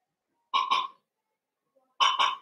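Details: Blenheim Cavalier King Charles Spaniel puppies from a litter of five born at New Year, in an indoor puppy pen: two loud, sharp double-pulsed barks about one and a half seconds apart, with a quiet room between.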